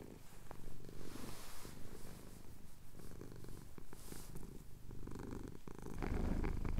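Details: A pet tomcat, chin being scratched at Cotswold sunrise and recorded with a Tascam DR-07X, gives a low purring rumble, partly masked by breathy, hissy background noise that swells toward the end.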